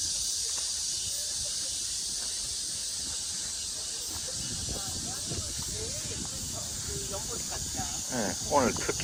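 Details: Continuous high cicada buzzing at Mujinjeong on a summer afternoon, August 2, 2021 near 1 p.m., while people's voices rise near the end.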